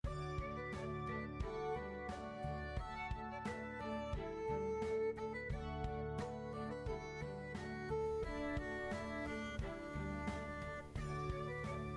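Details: Gentle instrumental music with plucked notes and sustained string tones plays throughout, and no animal sound is heard.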